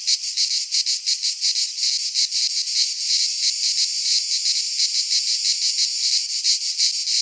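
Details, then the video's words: In a Greek pine forest at midsummer, cicadas keep up a shrill buzzing chorus, pulsing quickly and sharply at the start and end, smoother and steadier in the middle. "Cicadas singing in midsummer"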